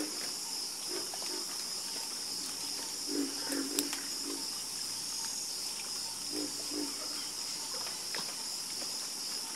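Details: A frog chorus, sparser here: small clusters of low croaks near the middle and again later, set against a continuous shrill hiss with occasional sharp clicks.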